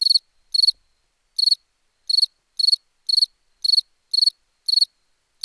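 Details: Short bright cricket chirps repeating about twice a second, each a buzzy pulsed burst, with small uneven gaps between them and nothing else audible.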